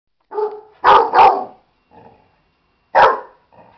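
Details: Dog named Buddy, agitated at a stuffed animal, giving a few sharp broadband barks, two in quick succession, then one more after a pause, with softer low grumbles between them.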